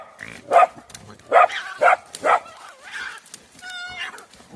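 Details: Dogs attacking a badger together on 24 January 2021, giving four loud, sharp barks in quick succession in the first two and a half seconds, then softer calls and a brief high whine near the end.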